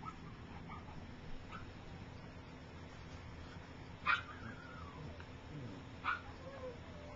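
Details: Soft puppy noises from Gypsy's three-week-old litter as they learn to walk: two short squeaks, each trailing into a thin falling whine, over quiet steady indoor hum.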